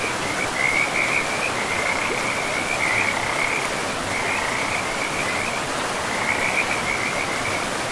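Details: Frogs calling along a river in pristine, mossy forest make high, rattling trills that swell and fade in waves every couple of seconds, backed by an even, steady roar of running river water.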